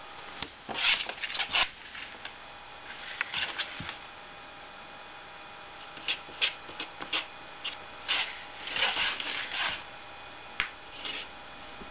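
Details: Irregular bursts of rustling, rubbing and scratching against paper over a faint steady electrical hum in a small room.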